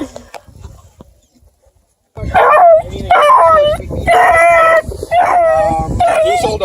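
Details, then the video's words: Very vocal nine-week-old Bluetick Beagle cross puppies near Kingston, Ontario, Canada, a litter from deer-dog parents; after a quiet stretch, four loud wavering howls and yelps follow in quick succession over about four seconds. "Very vocal 9 WEEK Bluetick Beagle X puppies!"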